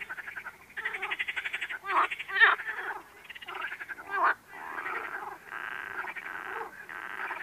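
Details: Frog calls forming a near-continuous series of pulsed, rattling croaks, several bursts running together over the whole stretch with a few sharper louder notes mixed in.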